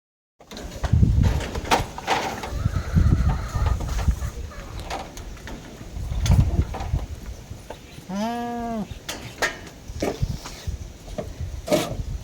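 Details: Goats on a farm in Taiwan being fed paper mulberry and mulberry leaves; a single short bleat with arched harmonics about eight seconds in, amid rustling, handling noise and low rumble.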